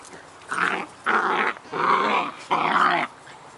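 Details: Two Scottish Terrier puppies, Bonnie and Basil, playing: four strong growling bursts of about half a second each, coming in quick succession, gruff and harmonic-rich, with short silences between.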